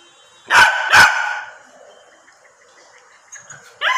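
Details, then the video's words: Angry Berger Picard, a rare dog breed, giving two loud sharp barks close together, then a quieter stretch and another bark burst at the end. "Berger Picard Angry"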